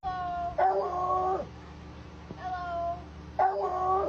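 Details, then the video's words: A pet dog making a strange, cartoon-like sound: drawn-out tonal whining wails with clear harmonics, in three bursts, the first and last longest, over a steady low hum. "When your dog makes a sound that belongs in a cartoon"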